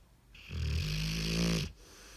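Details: Dog snoring: a single drawn-out snore lasting about a second, a steady low rumble with a buzzy harmonic edge and a breathy hiss, swelling and then cutting off, in a quiet room.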